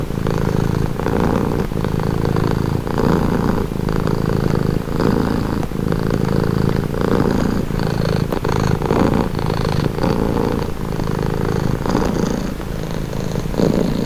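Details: Calming purr of a domestic cat, a continuous low rumble that swells and eases with each breath roughly once a second, close and steady with no other sounds.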